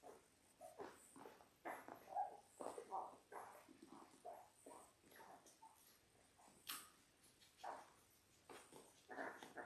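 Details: Labrador Retriever newborns, six pups aged ten days, whimper indoors in clustered short squeals, some slightly rising, with pauses and a soft background hiss.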